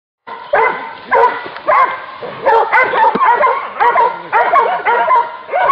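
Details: Hunting dog barking while hunting wild boar; a loud series of harmonic barks and yelps repeated roughly twice a second, several voices overlapping in a rhythmic chorus.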